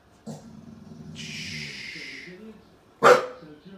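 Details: Shelter-rescued Staffy x Ridgeback female protecting her wheelchair-using owner from strangers at the door at home; a woman's voice talks over a hissy background, then one sharp, explosive bark near the end.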